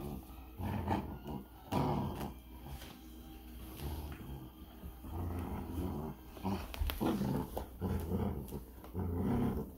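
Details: Giant Schnauzer mother and pups tugging on a toy, throaty play growls in uneven bursts about once a second, rising and falling in strength, with scrabbling paws and knocks between them.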